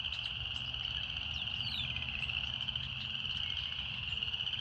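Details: Cicadas in a relaxing nature setting, singing as a continuous, steady buzzing drone that holds one high pitch without pause, with faint brief chirps above it and a soft low rumble underneath.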